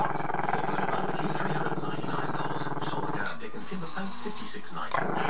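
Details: Camera-shy Maltese-Shih Tzu pup named Chester giving a long, deep, continuous pulsing growl at the camera, rumbling steadily for about three seconds before easing, with faint background voices from a television.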